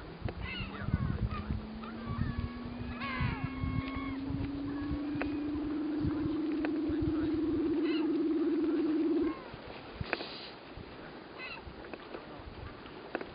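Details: Sleeping Weddell seal on Ronge Island, Antarctica, producing a long low pulsed trill that rises slowly in pitch for about nine seconds, with faint short chirps above and background rumble.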